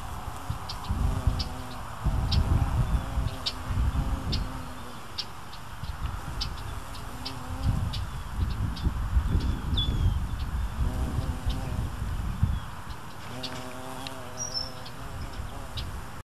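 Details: Nectar-robbing carpenter bee at Penstemon flowers in Marion, Ohio, USA, drinking through a hole cut in the corolla base; low humming buzz rises and fades in several bursts over a steady low rumble, with faint bird chirps above.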